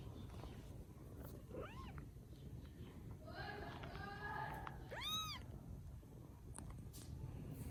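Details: Rescued baby kittens in Vietnam give high, arching meows, one short mew near the start and a louder, clearer one later, with fainter overlapping mews in between over a steady low rumble of background noise.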